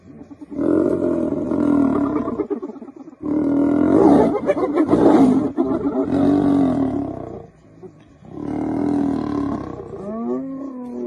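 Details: A lioness facing many hyenas gives long, harsh, snarling roars in sustained bursts lasting several seconds each.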